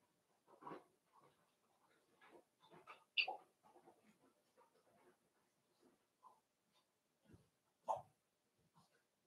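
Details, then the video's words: Several Cavalier King Charles Spaniel puppies at play in the Red Barn Cavaliers home puppy pen, with scattered soft whimpers and grunts, two louder sharp yelps standing out, and quiet gaps between bursts. "Cavalier Puppies Live: Puppies Playing"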